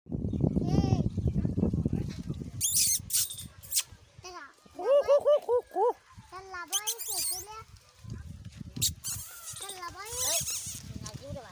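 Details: Puppies with their mother give a run of high, wavering whines and yelps in quick bursts through the middle, framed by low human chatter at the start and end.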